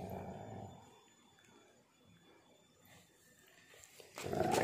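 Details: During a pitbull mix and husky tug of war with a shoe, a rough growl fades out, the room falls quiet with low rustling, and then a loud growl bursts in at the end.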